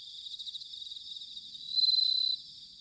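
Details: Autumn bell cricket song from Sanuki, Chiba, Japan: soft pulsing insect chorus, then a brief bright ringing trill of about half a second that stops abruptly.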